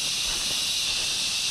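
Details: Forest-trail crickets at the start of a hike to seasonal Patal Falls, surrounded by trees and mountains, form a continuous high, hissing wall of chirps without pauses, with a soft low rustle underneath.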